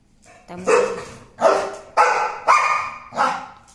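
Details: American Pit Bull Terrier barking: five loud, harsh, rasping barks, each sharp at the start and fading, spaced about two-thirds of a second apart after a short quiet lead-in.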